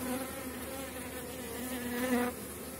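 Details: Honey bees in a strong late-season colony during a hive inspection: continuous droning hum with wavering tonal lines, swelling briefly louder near the end as frames are handled.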